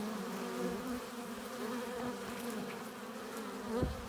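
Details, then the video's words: Hive entrance busy with bees flying in carrying pollen and nectar; continuous low droning hum with layered overtones, a louder bee passing close near the end, and faint ticking sounds over the swarm. "15 minutes of bee hive entrance! Relaxing sounds! Buzzing sound efects"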